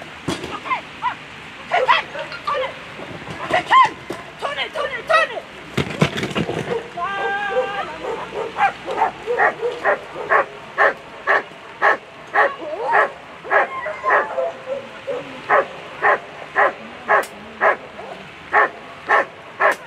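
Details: German Shepherd Qüken v d Donnerbrücke at a world championship agility event, giving short sharp barks about twice a second in a steady run that grows more regular later, with voices and splashing noise early on.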